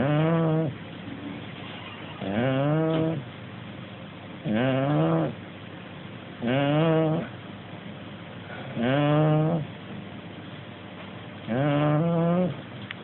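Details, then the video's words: A Shar Pei and Corgi cross dog snores in its sleep, giving deep, buzzy, voiced snorts roughly every two seconds in a steady breathing rhythm, with soft airy noise in the gaps. "shar pei / corgi snoring"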